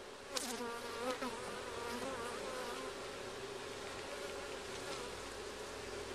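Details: Honey bees buzz at an opened beehive during a first check. A constant low drone runs underneath, while individual bees pass close with wavering, rising and falling whines in the first few seconds.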